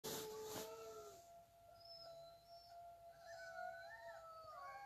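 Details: Several wolves howl together in long, smooth tones that slide up and down and overlap, played as a recording to a Shih Tzu puppy.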